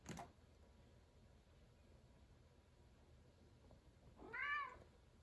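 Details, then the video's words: Indoor cat meowing angrily at the ceiling: after a quiet stretch, a single drawn-out harmonic meow rises and falls near the end, preceded by a sharp click at the start in a small, quiet room. "cat meows angrily at ceiling"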